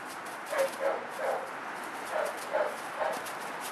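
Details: Oakley, a two-year-old American Bulldog from Miura Bulls, described as very driven and ripped, plays with a flirt pole, giving six short, high, tonal yelps in two bursts of three over steady background hiss.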